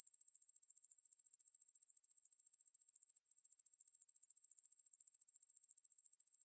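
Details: High, hissing buzz of a Ruspolia lineosa katydid, sourced from Korea's National Institute of Biological Resources, 2020; fast steady pulsing that barely breaks once around three seconds in, no other animals or noise.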